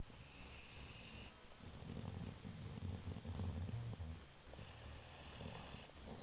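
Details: Babu the dog snoring while asleep: low, rumbling snores that swell over the middle seconds and return softly near the end, with a faint steady high-pitched whine in the background.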